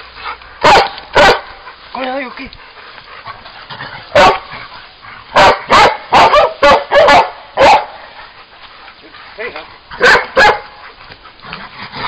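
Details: Old English Sheepdog giving scattered loud barks in short clusters with gaps between, a brief whining note near the start, and human voices audible in the background.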